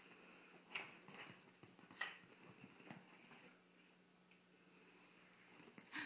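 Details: Visiting puppy in a small indoor room with a cat that dislikes it, excited to chase the cat; short wheezy, snuffling bursts of breath come in quick clusters, with a faint steady high hum behind.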